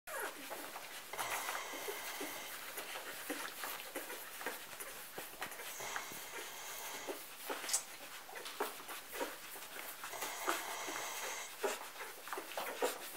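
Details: Golden retriever puppies feeding from their mother Betsy after a morning nap, indoors in a pen; soft high whimpers and squeaks scattered over steady suckling and rustling clicks.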